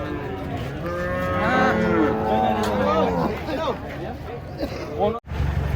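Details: Huge cattle coming down off a truck: several rising, wavering moos overlap in the first seconds, followed by shorter bending calls and handling noise.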